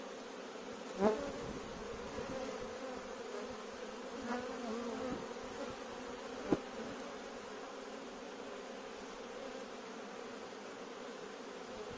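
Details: Swarm of bees that invaded a courtyard, before a beekeeper was called in: a continuous, even, low droning hum of many wings, broken by a few brief knocks near the start and middle.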